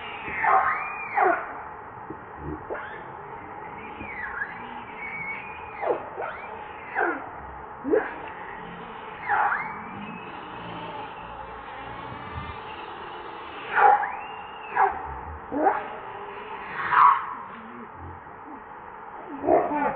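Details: Hungry infant monkey Leo, also called Rainbow, crying to its mother for milk: a long run of high arched wails and sharp yelps, loud bursts every second or two, with a constant droning hum behind.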